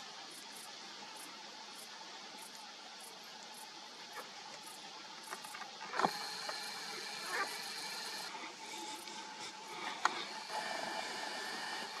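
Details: Steady broadband rushing noise like distant traffic or wind, with a few sharp clicks and no clear animal voice.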